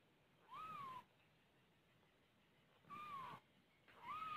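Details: Domestic cat, a mother with her kittens: three separate drawn-out meows, each rising briefly and then falling in pitch, spaced about two seconds apart over faint background hiss.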